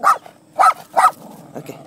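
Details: Three quick, high yaps in under two seconds from Romeo, a miniature Poodle encountering horses for the first time at Bristow, Virginia, followed by faint rustling and soft muffled sounds.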